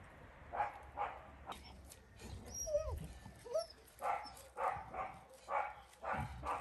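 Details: Rescued dogs, Caucasian and Mioritic Shepherds with strays, barking in a steady run of gruff barks roughly every half second. Thin high yelps and whines rise in the middle, with a low rumble underneath.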